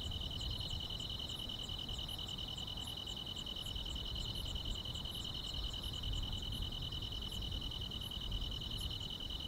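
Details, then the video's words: A continuous shrill insect trill fills this summer night among the grasses, while a very high, thin chirp ticks over it in quick irregular bursts, about twice a second, above a low murmur. "여름밤의 포근한 풀벌레 소리"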